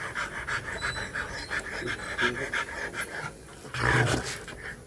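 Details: Rottweiler during mating, panting rapidly in rough breathy bursts that run on steadily, with people's voices and laughter mixed in the background.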